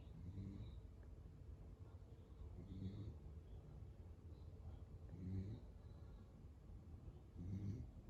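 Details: Asleep indoors, Pero the male lemon-and-white Beagle, born 2015, gives deep rhythmic snores, each low rasping breath rising about every two and a half seconds, with quiet hiss between.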